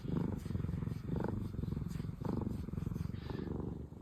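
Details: Steady low rumbling purr from one of two former rescue cat sisters, Pina and Piko, relaxed and content; the throbbing drone runs unbroken while a person talks softly in Japanese several times over it.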